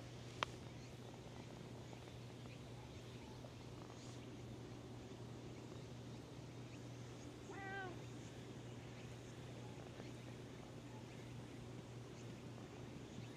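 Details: A cat that had been sleeping on top of tetrapods woke up and came out to be petted; it gives one short, rising-then-falling meow midway, set against a steady low hum and quiet background noise.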